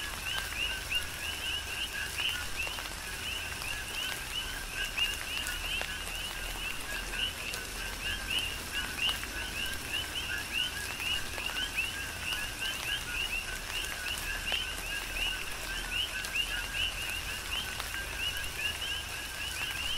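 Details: Rain falls on the Big Island of Hawaii while a crowded chorus of coqui frogs keeps up rapid, overlapping two-tone chirps, low then rising high, forming a continuous pulsing layer over the rain's constant wash.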